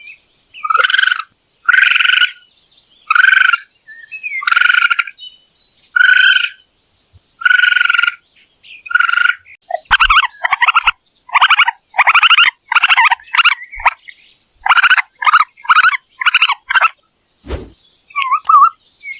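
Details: Raccoon vocalising: evenly spaced buzzy, harmonic chirps for the first ten seconds, then a quicker, denser run of shorter rasping notes and twitters, with a brief low thump near the end.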